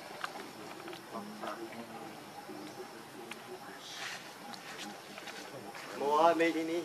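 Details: Baby monkey Leo Rainbow, hungry and begging its mother for milk: after quiet low murmuring, a sudden loud cry rises steeply in a bright harmonic sweep near the end, with faint voices and rustling in the background.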